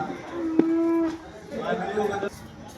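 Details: Cow at the Loni cow market on 12 August 2026, where cows yielding 30 litres of milk are sold, gives a steady, low, level moo of about a second, followed by a quieter murmur of voices and crowd noise.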